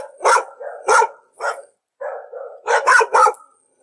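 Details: A dog barks several times: two loud sharp barks, a softer one, then lower muffled woofs followed by a tight run of three loud barks.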